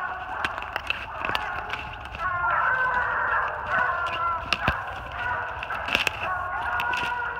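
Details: Treeing Walker Coonhounds treed on a big den about 450 yards away in New Jersey, spring 2018: a far-off pack of hounds bawling together, swelling louder midway, with crisp close clicks breaking through the steady baying.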